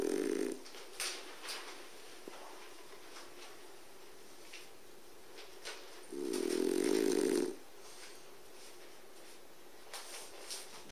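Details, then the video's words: French Bulldog named Buusuke sound asleep in front of a wood stove: two buzzy, rattling snores, one at the start and a longer one in the middle, separated by quiet breathing and faint clicks indoors. "誰？ このいびき ！！"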